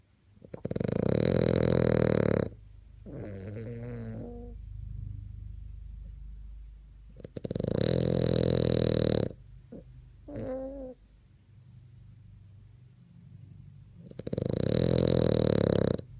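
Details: A French Bulldog snoring: loud, harsh, rasping snores lasting about two seconds each, recurring roughly every six seconds, with thin whistly, whining breaths in between.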